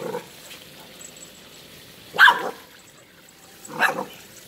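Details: Golden Retriever pup named Laddu, a family pet, near water that it is afraid of the steam of: two sharp, loud barks about a second and a half apart, with a softer sound at the very start and quiet background.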